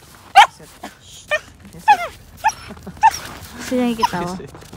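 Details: Female Siberian Samoyed on a harness and leash during a daily morning walk in a snowy park near home, giving short high yips and whines about every second, with a woman's voice giving commands between them.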